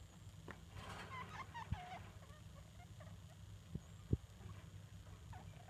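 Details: A degu mother and her young daughters kept as pets, apparently conversing, with a quick flurry of warbling, wavering chirps early on, then sparse faint chirps, a few clicks and low background hum.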